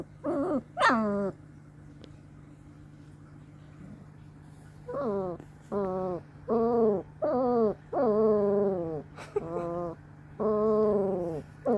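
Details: Two long-coat German Shepherd puppies, Mazikeen and Draco, two weeks old, grunting: short harmonic whining calls that bend downward, given in bursts of about eight across twelve seconds with quiet gaps, plus a steady low hum.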